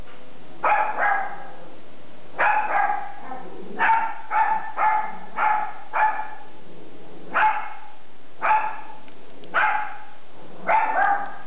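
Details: Pet dog reacting to strangers appearing at the door with a run of loud barks, single and in quick doubles and triples, about ten bursts over eleven seconds with short pauses between.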